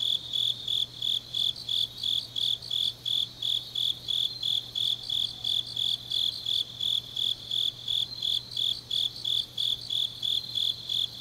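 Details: Night chorus of grass insects in deep autumn, Changnyeong, South Gyeongsang: bright, regular chirps about three per second run throughout, a second fainter caller overlapping, over a quiet low hum.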